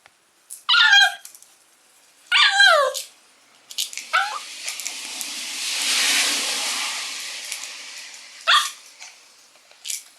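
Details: Shiba Inu puppy named Sora playing alone because its owner won't play; high, wavering yelps with harmonics near one and three seconds, a louder rushing noise mid-clip, then short sharp yips near the end.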